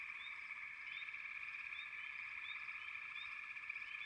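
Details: Massed frog voices form an unbroken high buzzing drone, with brief upward-sweeping chirps popping out every half second or so.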